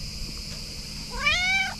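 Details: Female pet cat meowing indoors while rubbing against her owner; a single rising-then-falling meow about half a second long, rich in harmonics, following quiet room hum.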